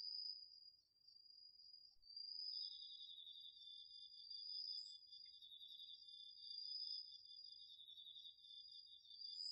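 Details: Garden field at night in autumn, crickets and other insects in chorus, recorded with a DR-40X: a high even trill carries on while a second, lower beaded trill joins after two seconds and continues steadily to the end.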